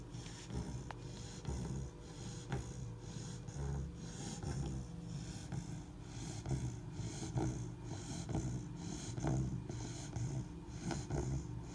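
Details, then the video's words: Sleeping Labrador Retriever pup, three months old, snores in a regular rhythm near one breath per second, deep grating rumbles mixed with light snorts and wheezy catches. "лабрадор храпит"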